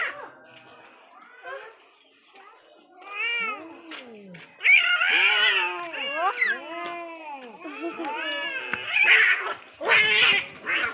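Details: Angry cats in a fierce fight, trading long wavering yowls that arch up and sag down, building from quieter wails into loud, overlapping caterwauling with harsh, noisy bursts near the end.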